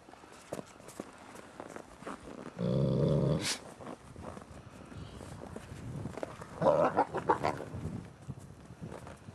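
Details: Captive ambassador gray wolves during a daily dominance interaction, December 2008: a loud, deep, rough growl lasting about a second stands out among footsteps and scuffling, followed by a brief harsher snarl-like burst.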